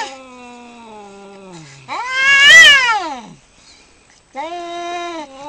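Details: Cats locked in a fight give drawn-out, strained yowls: one steady low wail, then a loud rising-and-falling howl, a short pause, and another sustained moaning cry.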